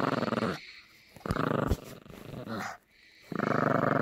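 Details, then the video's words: Yorkshire Terrier puppy named Gracie growling while playing tug-of-war over a squeaky toy indoors; rough, buzzy rattling growls in bursts of about half a second to a second, with short pauses and a few clicks between. "Gimme the squeaky toy Yorkie Growling and playing tug-of-war"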